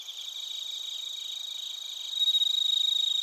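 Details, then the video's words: Bell crickets and other crickets recorded in Narita, Chiba Prefecture, Japan with a TASCAM Portacapture X8: dense high ringing chirps in steady bands, one nearby singer's pulsed trill growing louder in the final second. "スズムシとコオロギの鳴き声 - Chirping of crickets"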